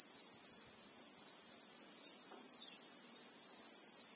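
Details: Continuous piercing buzz of Christmas beetles (Anoplognathus) in the bushveld of South Africa, real-time recording among acacias; the high, even droning never pauses, over a quiet rustling background.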